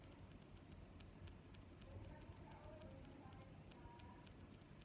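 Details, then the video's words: Crickets in nature: bright high chirps pulsing at an even pace of roughly one per 0.75 seconds, quieter chirping from further crickets around them, and a faint low hum underneath. "Sounds of Crickets"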